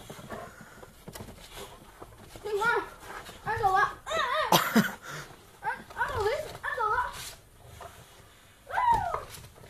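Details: Boxer dogs playing in the snow give a run of wavering, whining moans that rise and fall in short bursts, a sharp break in the middle and a final sliding cry, with human voices talking over them.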